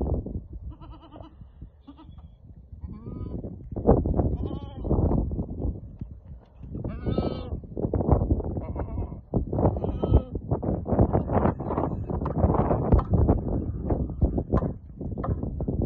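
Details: Goats for sale in Al-Summan, six with a billy and seven following young, let out scattered quavering bleats, a strong one midway, amid heavy wind buffeting and thumping movement.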